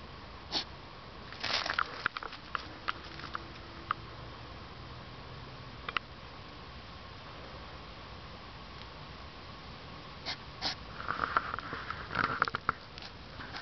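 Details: European hedgehog outdoors at 10pm on 3 September 2009, sniffing loudly like a pig in the dark; short bursts of snuffling near the start and a cluster of sharp snorts toward the end, quiet night background between.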